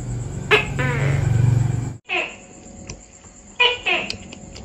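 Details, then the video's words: Tokay gecko (Gekko gecko), a tree-dwelling gecko active at dawn and dusk: a deep, rumbling low note gives way to two sharp two-part calls, each a click then a falling harmonic syllable, over a steady hum and a thin high whine. "Tiếng Tắc Kè Kêu, Tổng hợp hình ảnh con tắc kè - Picture And Sound Of Tokay Gecko"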